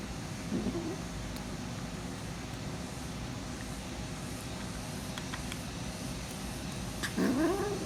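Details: Hungry female kitten, protective of her food and noisy while eating, gives two short rough harmonic calls, one near the start and one rising at the end, over a steady hum with faint clicks between.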